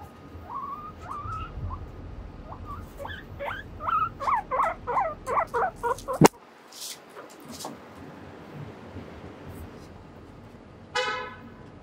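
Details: Guinea pig, apparently named Mochiri, trotting across a small bridge, moving away and then coming back; about a dozen short harmonic squeaks repeat roughly three per second, then stop after a sharp knock; a faint steady tone sits underneath at the start.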